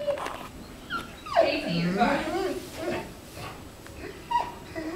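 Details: Clingy Labrador Retriever giving a drawn-out whining moan that bends upward then slides down over about a second, followed by short high whimpers, while a person talks nearby.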